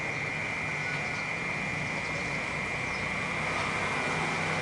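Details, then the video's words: Cicada calling in the city: a steady, unbroken high-pitched drone holds at one pitch throughout, over a constant low roar of urban traffic. "เสียงจั๊กจั่นในเมือง Cicada In The City"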